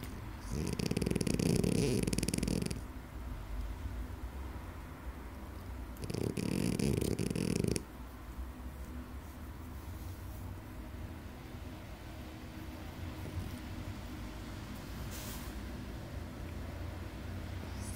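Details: Snoring French Bulldog while sleeping: two loud rasping, vibrating snores, each about two seconds long and roughly five seconds apart, with quiet low breathing in between.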